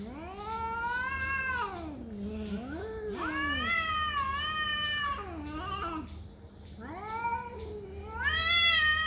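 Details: Cat yowling in long, harmonically rich wails that waver and bend up and down, running almost unbroken with short dips between drawn-out howls, over a steady low background hum.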